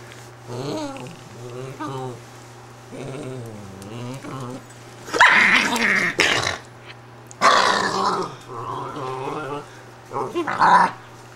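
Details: Italian greyhound bitch, indoors and upset at being taken from her bed, making short wavering grumbles, then louder harsh growling bursts with sharp yips toward the end.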